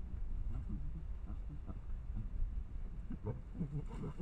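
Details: Wild collared peccaries in the Amazon at Sinop, Mato Grosso, Brazil, in 2020 clash, squabbling with deep, rough grunts and short growling bursts.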